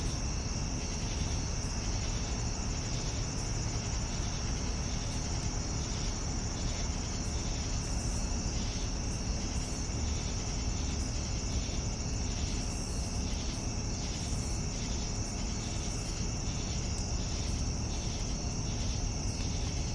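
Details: Crickets in the evening: a steady, high, shrill trill runs unbroken, with faint pulsing chirps layered beneath and a constant low rumbling background noise throughout.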